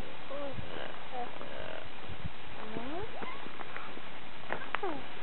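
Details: Geladas in the mountains of northern Ethiopia in January 2007 trade short, tonal calls that swoop up and down, several voices overlapping.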